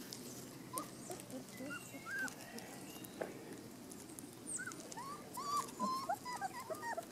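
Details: Golden retrievers: Indy, father of a litter of 12, watching over three of his puppies as one strays slightly. Short, high, bending whimpers and squeaks come in scattered clusters, growing busier toward the end, over soft rustling outdoors.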